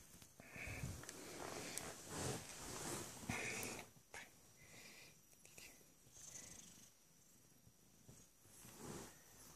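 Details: Small fluffy kitten with a cold, making congested, breathy rasping purr-like sounds in an uneven rhythm of about two per second, with brief thin squeaky wheezes woven between the noisy breaths.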